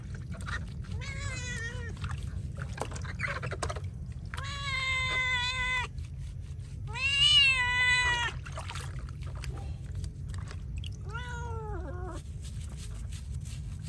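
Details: Feral cat meowing while being bathed: four drawn-out, wavering meows spaced over several seconds, some rising then sagging at the end, over steady running water and a low rumble.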